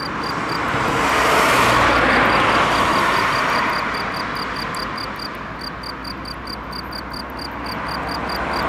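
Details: A male field cricket near Bern, recorded 9 June 2013, sings steady, high chirps about four times a second over passing traffic.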